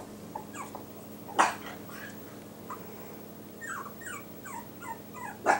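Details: Yorkshire Terrier puppies with new Velcro collars, one called a trouble maker teaching his littermate mischief; short rising squeaky whimpers in quick runs, a sharp yip or bump, faint room hum.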